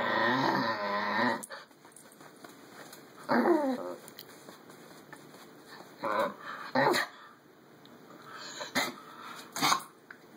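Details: A schnauzer at home 'talking': a drawn-out harmonic growling moan, then a few short rising-and-falling whiny grumbles spaced a second or more apart, with soft clicks between.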